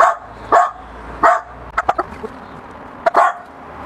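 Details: A Miniature Pinscher barks at a balloon, giving sharp, high barks in short bursts, some single and some in quick pairs.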